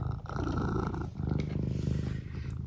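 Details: Eric, a pet cat, rumbling with a steady low pulsing purr, broken by a brief voiced trill near the start; a person speaks softly nearby.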